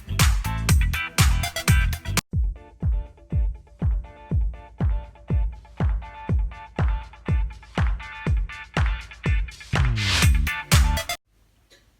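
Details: Upbeat funk-style music with punchy beats repeating about twice a second, cutting off abruptly near the end; no animal voice is heard.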